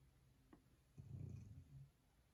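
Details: A sleeping pet dog indoors gives one low, rumbling snore, just under a second long, in an otherwise quiet room.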